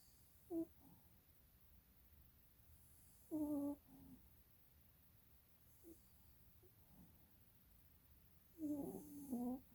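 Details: Quieter snoring from a dog asleep with rolling eyes: a few short, whistly nasal breaths spaced several seconds apart, with a fuller double snore near the end.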